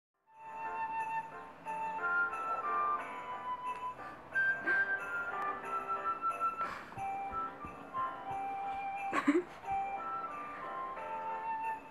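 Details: Jingle Bells played as a bright tinkling melody indoors, with faint voices and no animal sounds.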